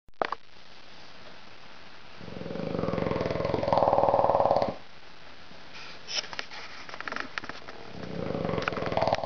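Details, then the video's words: Little Mondo, a bulldog, snores loudly in his sleep indoors: a long, rough, rattling snore builds and holds for about two seconds, then softer buzzy breaths follow before another raspy snore rises at the end. "Snoring Bulldog"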